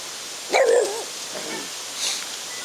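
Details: A French Bulldog that barks at other people almost always gives one strong, wavering bark to protect its owner, then two fainter yaps.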